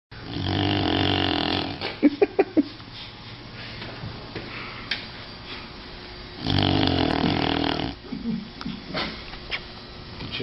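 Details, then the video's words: A sleeping dog snores indoors: a long rasping, broadband snore, a quiet gap with a few short clicks and faint voices, then a second harsh one-second snore followed by softer snuffles. "Funny Dogs Snoring"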